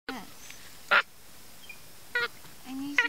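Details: A small monkey eating corn by a fence gives short, nasal, squeaky calls mixed with one harsh, louder burst.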